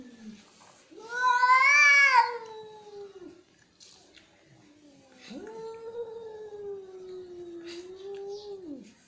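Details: Angry cat letting out a loud, harsh, rising-and-falling yowl, then after a pause a second long, steadier moaning wail that drops away at the end; quiet room.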